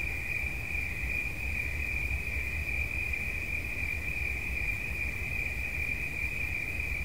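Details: Shrill cricket song as one unbroken, rapidly pulsing high trill at even volume, set against a quiet low-frequency rumble.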